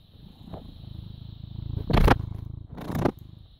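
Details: A British Shorthair cat, born 18 August 2010 and filmed at 09:16 on 14 May 2017, purrs in a low, steady rumble, broken by two brief rustling bursts.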